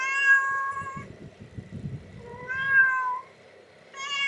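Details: Ten-day-old kittens, born July 14, 2011 and recorded July 24, 2011, give three thin, high mews, each about a second long with a slight rise and fall, separated by short quiet gaps with faint low rustling.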